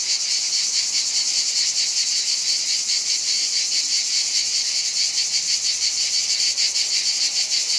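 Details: Sustained shrill chorus of many cicadas in hot Provençal summer, southern France, loud and high, with an even rapid pulsation and no other clear sounds.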